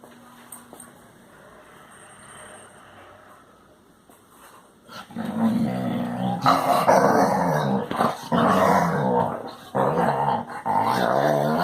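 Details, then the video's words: Basset Hound making noises: quiet opening, then from about five seconds loud harmonic growling whines and moans in long bursts separated by brief pauses. "Popis hace ruidos de Basset Hound."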